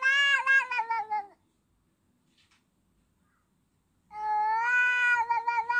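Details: Domestic cat giving two long, drawn-out meows, rich in harmonics with a slightly falling then steady pitch. They are separated by about three seconds of near silence. No other sounds.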